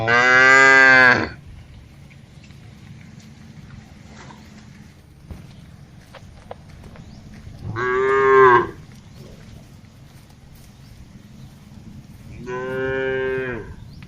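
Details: One of dozens of tame cattle herded across a large green grazing field calls to the others. Three separate full-throated moos come roughly five seconds apart, with quiet rustling in between.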